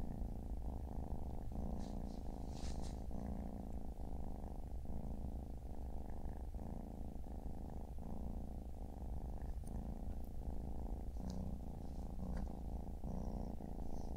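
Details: Siamese kittens lounging beside their mother, four kittens in all, on a Saturday afternoon; a continuous deep purr throbs evenly, broken by short breath pauses under a second apart, with faint light clicks above.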